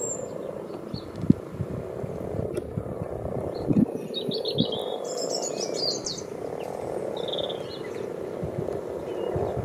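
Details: A continuous soft purring hum rises from frogs in a garden wildlife pond dug out 14 years ago. Gusty wind thumps low underneath, and brief high bird twitters come in now and then.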